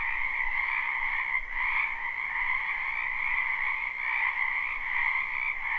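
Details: Spring wetland frogs in full chorus, recorded live with no looping. Countless overlapping trills merge into a steady, shimmering drone with slight surges in loudness and no other sounds.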